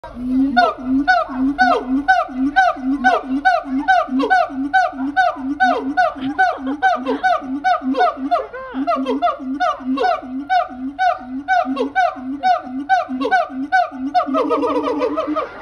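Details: Two Siamangs, seemingly in earnest exchange, call in a steady, rhythmic series of loud, hoarse barking notes, about two each second.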